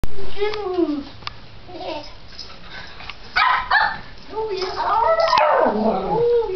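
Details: Japanese Chins at home in play: Mia, adopted from Japanese Chin Rescue in NC two days earlier, with Bella, Phatboy and foster Flynn; short whiny, bending yips and grumbles in two bursts, with human speech between.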